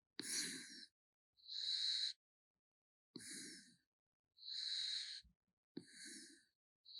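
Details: Snoring raccoon called Gaetongi, asleep: long wheezing exhalations and raspy inhalations alternate steadily, about one breath every one to one and a half seconds, loud and hissy.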